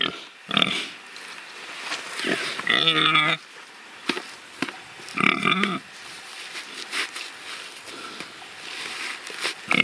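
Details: Pigs kept as pets, rooting; scattered soft grunts broken by two clear tonal squeals of about half a second each, and snuffling noises between them.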